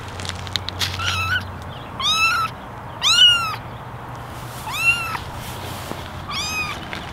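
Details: Ginger kittens plus one white kitten, eleven in a basket, meow for attention; thin high mews with bright harmonics follow one another about every second, over a low steady hum.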